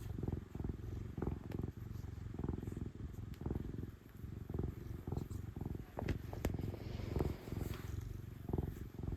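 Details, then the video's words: Female cat purring loudly while enjoying being petted, a continuous deep rumbling drone broken by frequent short rustles and scratchy brushing noises from the hand stroking her fur. "affectionate kitty purrs loudly and enjoys her pets"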